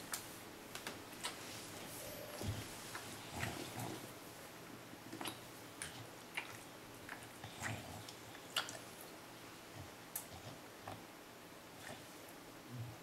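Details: Eating an ice cream cone indoors, Teddy the English Bulldog enjoys a favorite treat he rarely gets; wet snorts, smacking licks and slurps come in uneven bursts throughout, with occasional crunching bites.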